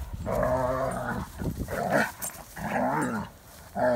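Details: Odin the German Shepherd in a play-fight with another dog, Hannah, making long rough growls with a rising and falling whine through them, three drawn-out bouts separated by brief breaks.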